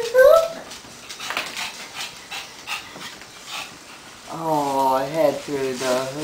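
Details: Pug/Boston Terrier mix, a lively female eager for a walk, whines briefly at the start, then after a quiet stretch lets out a longer wavering, harmonic-rich whimpering vocalisation in two parts near the end.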